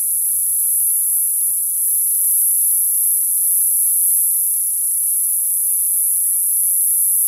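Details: Cicadas singing in summer, one continuous piercing high hiss without breaks or changes in volume, a few faint low rumbles underneath.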